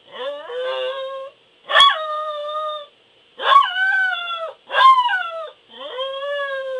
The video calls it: Ein Corgi Howling